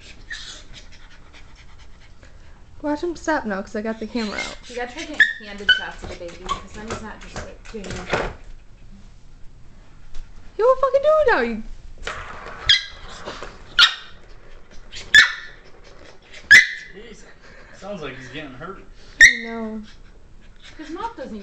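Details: Cairn Terrier playing with a cat toy, giving wavering, whiny whimpers and rising squeals in bursts, then sharp high yips at irregular intervals, while a person talks nearby.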